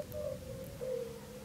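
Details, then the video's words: A European fire-bellied toad calls for a mate from cattail-lined shallow water at Crna Mlaka fishpond and wetland reserve in oak forest, Croatia, giving soft, low hooting 'oop' notes, two about a second apart, over a faint rumble. "Le crapaud au ventre de feu chante, appelant à un partenaire."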